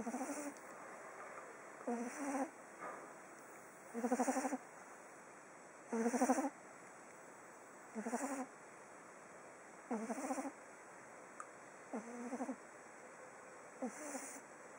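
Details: Sleeping pug named Oliver on day 19. Rhythmic snoring recurs about every two seconds, each snore a buzzy, vibrating rasp with a bleat-like tone, with softer snorts in between. Steady faint background hiss.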